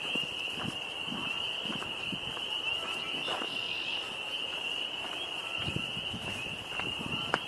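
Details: Frogs call in a steady chorus near a pond on a windy 26 April 2025, a continuous high trill that never breaks, with scattered knocks and a brief human voice in the background.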